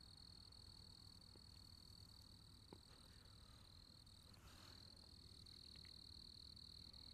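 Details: Crickets calling: a steady, unbroken high-pitched trill with a faint higher overtone, quiet and continuous, over a low rumbling background hum.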